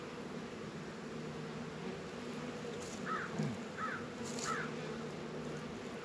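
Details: Steady low drone of honey bees active around their hive in a northern Kentucky apiary on a 72-degree winter day in February; three short hoarse crow caws sound in the background midway through.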